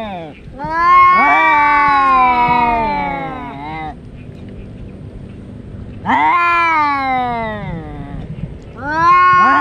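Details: Two domestic cats, brothers that fight every day, yowling during a fight: long, drawn-out, wavering moans of about three seconds each, swelling and then sagging in pitch, with a pause between outbursts.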